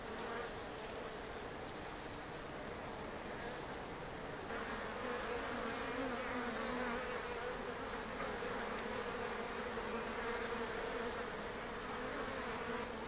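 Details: Colony hum of Japanese honeybees, the native Apis cerana japonica, in an observation hive on a shed ceiling in Japan; continuous buzzing drone that swells slightly after the first few seconds, with a steady low tone underneath.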